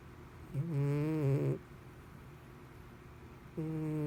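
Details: A cat asleep and snoring loudly, humanlike: one long buzzy rasping snore of about a second, a pause, then the next snore beginning, over faint room hum.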